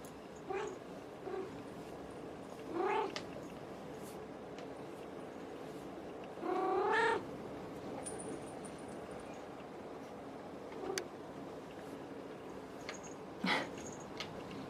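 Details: House cat meowing three times over about fifteen seconds: a short rising cry, a longer wavering caterwaul-like meow, then a brief final call. Scattered clicks and a faint high whine sound between the meows.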